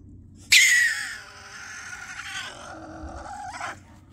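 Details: Stone marten recorded at close range, giving a sudden loud, harsh, raspy shriek that fades into a long, strained, wavering cry lasting about three seconds and ending abruptly, against a quiet background.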